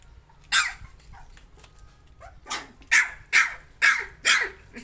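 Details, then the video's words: Puppy working up courage against its fear lets out one sharp yap, then after a pause a quick series of four high, rasping barks spaced under half a second apart. "Cute animals dog trying to overcome fear. baby puppies video."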